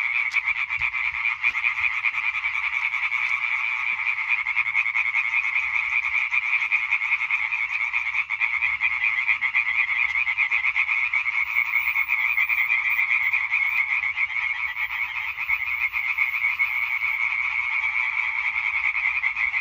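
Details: European tree frog concert, 20 May 2023: a long stretch of dense, evenly sustained chorus, countless quick rasping croaks blending into one pulsing drone, with a brief faint click near the start.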